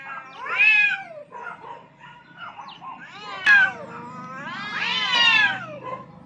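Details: Rooftop fight for dominance between two aggressive cats, heard as loud arching yowls that rise and fall, separated by quieter moaning growls, with a sharp click midway and a long swelling howl near the end.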